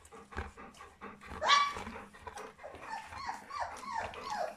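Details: Puppies aged three weeks from the Charlotte and Magic litter: one loud, sharp, rising-then-falling whine, then a string of softer, bending squeaky whimpers, with indoor rustling.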